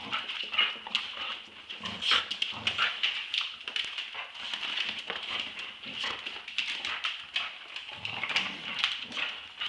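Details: Two Staffordshire Bull Terriers, Roxy aged two years and Ralph at eight months, play-fighting over a tug-of-war toy: low rumbling growls rise in bursts amid constant scuffling and clattering, over a steady high-pitched hiss.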